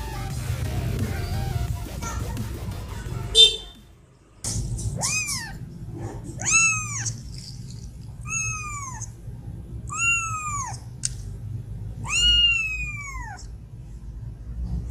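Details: Angry female cat meowing to get food: after a short burst of mixed noise and a brief silence, five loud, drawn-out meows, each bending upward then sliding down in pitch, repeated about every two seconds over a low background hum.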